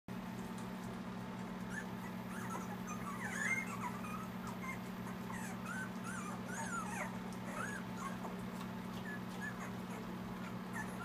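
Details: Litter of eight Siberian Husky puppies at two weeks old; many thin high whimpers and squeaks overlapping, short rising and falling whines scattered throughout over a steady low electrical hum.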